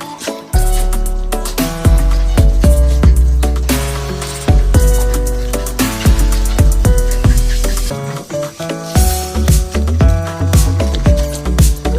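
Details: Loud music with heavy bass notes and a steady beat, with no animal sounds.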